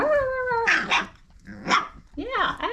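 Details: Red Nose Pit Bull puppies, Old Family line, five weeks old, from parents Abby and Ragnar: a drawn-out falling whine, then short rough puppy barks and yaps, with a woman speaking between them.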